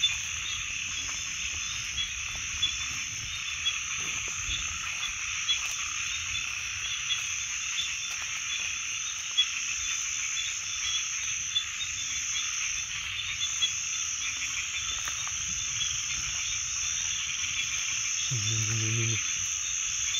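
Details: A steady, shrill wall of frog calls fills the whole stretch without pause. A single deep, pulsed croak breaks through close to the end.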